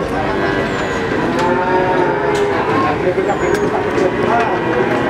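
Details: Cattle at the Pon cattle market in Ambarawa, Semarang, with overlapping low drawn-out moos from several animals beneath a constant crowd murmur, a couple of faint whistle-like streaks overhead.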